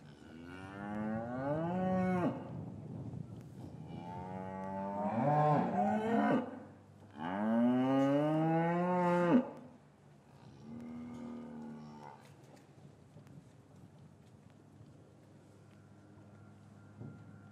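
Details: Gentle lowing of cows in an English cattle yard on a winter's afternoon, calves separated from their mothers: three drawn-out harmonic moos in quick succession over about ten seconds, then a softer call and quiet yard sounds.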